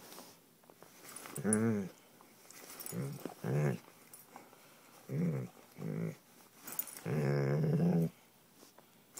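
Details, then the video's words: Old English Sheepdog playing with a blanket indoors, giving low rumbling growls in bursts of about half a second to a second, with a longer growl near the end and quiet pauses between. "Old English Sheepdog blanket monster"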